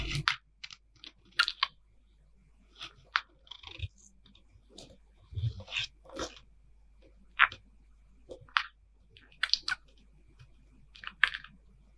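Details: Crunchy chewing and biting noises in a small indoor room, repeated sharp crunches and faint clicks with quiet pauses between them.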